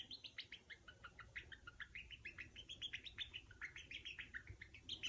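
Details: Affectionate squeaking from a pet female Djungarian hamster, heard only when her owner is close, handling or feeding her: a steady stream of quick, bright chirps that rise and fall slightly in pitch, several per second.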